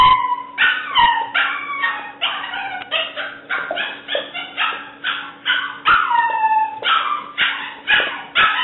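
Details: Seven-week-old black and white tricolor female English Springer Spaniel puppy giving insistent, evenly spaced high yips and howly yelps, some sliding downward, roughly two per second throughout.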